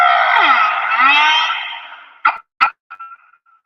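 A humpback whale song unit: a long, richly harmonic moan with a swooping low glide, then short pulses.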